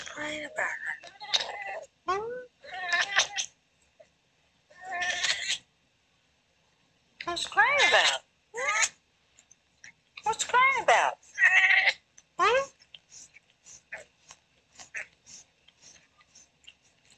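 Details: Daisy, a female Oriental Shorthair cat, murmurs while asleep: irregular runs of brief chirpy meows and trills in clustered bursts with a quiet gap in the middle, fading into soft scattered mutters toward the end.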